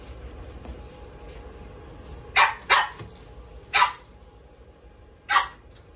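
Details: Young male dog with red coat, born 5 May 2023, at a pet shop, giving four sharp barks, two close together, then single barks spaced about a second and a half apart, over a low background hum.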